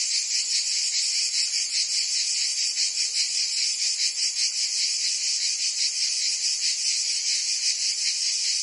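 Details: Summer cicada chorus from Provence, France: an intense, steady high-pitched buzzing with fast rhythmic pulses and small swells in volume, no other sounds mixed in.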